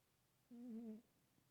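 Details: A chonky cat lets out one short, soft, humming snore lasting half a second in a quiet indoor room.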